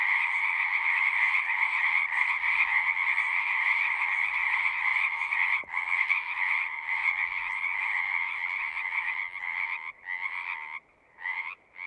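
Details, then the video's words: Steady frog chorus at a pasture pond, captured on a Zoom recorder; continuous overlapping trills that break into gaps near the end as callers drop out and resume. "Frogs singing"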